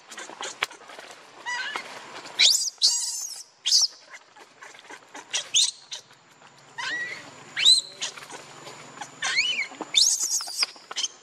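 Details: Baby monkey named Leo crying and begging its mother for milk: shrill, high squeals and rising, whistle-like wails come in uneven bursts, with sharp screechy notes between quieter stretches.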